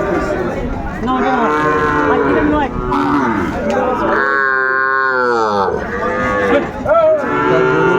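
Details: Sahiwal bull calves at the Ambari cattle market on 22 April 2024, where they are being bought and sold. Several animals give loud, drawn-out moos with rich harmonics that rise and fall and overlap one another, over steady market crowd noise.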